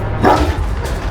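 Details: An aggressive, very irritable shepherd dog guarding a three-storey detached house gives one short, deep, harsh bark as a guard warning while a stranger tries to approach it.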